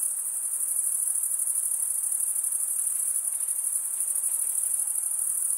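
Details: A constant high-pitched cricket chorus, with many chirps blending into one continuous, even, ringing whine and slight flutters in loudness, over a soft background hiss.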